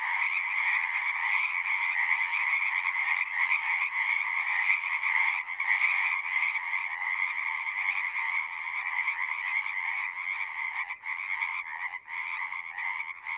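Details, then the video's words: A dense chorus of singing frogs as a natural sound: a steady, shimmering mass of overlapping trills in two bands, one higher and one lower, with rapid pulsing and brief dips near the end. "One hour of singing frogs."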